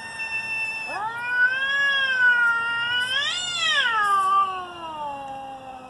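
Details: Two cats squaring off before a fight trade a sustained yowl that swoops upward, holds a strained nasal tone, climbs sharply once more in the middle, then sinks in a long, drawn-out moan.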